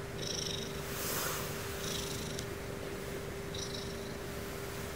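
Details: Steady low purring from Sumomo, a pet female Ragdoll, at bedtime. The rumbling continues without a break, and a few short, soft, higher-pitched scratchy noises occur in the room around it.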